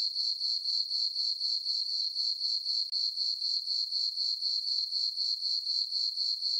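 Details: Summer-night crickets in a moonlit farm meadow, giving a high-pitched, evenly pulsed chirping at roughly four pulses per second, unbroken except for one brief dip, and no other sounds.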